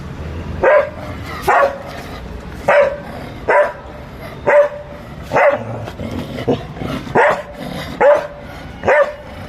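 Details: Labrador Retriever barking during play, a fluffy dog: loud, sharp single barks repeated roughly every second in a steady series of about ten, each with a clear tonal ring, over a low background hum.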